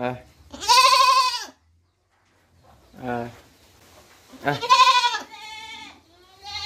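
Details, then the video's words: Young goat kid bleating in two loud, wavering, harmonic-rich calls of about a second each, separated by a softer shorter bleat, with a fainter trailing call at the end. "Goat baby sound 2022 | Best goat sound baa baa sounds for kids 2022"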